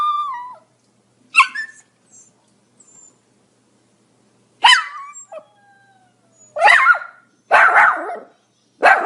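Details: Pomeranian dog giving a few high, thin whines and yips, then three loud, harsh barks in quick succession near the end, each a broad noisy burst.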